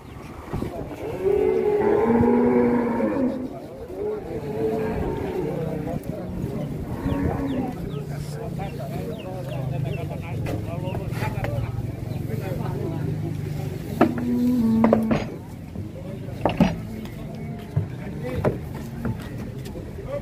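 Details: Raging bull at Grabag livestock market: a strong harmonic moo early on, then a long low rumbling drone, with a short bellow near fifteen seconds amid people talking and market bustle.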